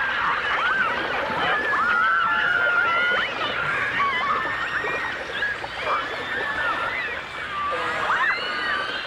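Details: In a 1989 stereo recording of dolphins and orcas, dolphins trade steady and wavering underwater whistles, with one long flat tone early, then brief rising and falling chirps, amid continuous clicking, crackling water sound.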